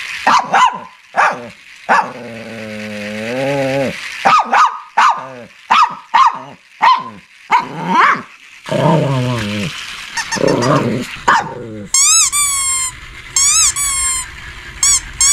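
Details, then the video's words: Shih Tzu barking and growling: a run of short, sharp barks about every half second, then low drawn-out growls, and near the end a burst of high, squeaky whining yelps. "Shih Tzu Barking And Growling"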